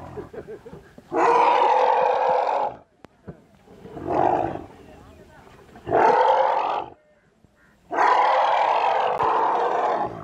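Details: Elephant mother and calves trapped in a well during a rescue operation. Loud, rough, harmonic roars of one to two seconds come in four bursts separated by short quiet gaps, with faint voices between them.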